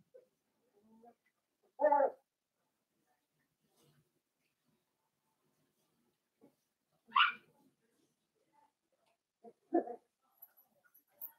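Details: Blenheim Cavalier King Charles Spaniel puppies from a litter of five born at New Year's in an indoor puppy pen. Three short, isolated yelps come several seconds apart against near silence.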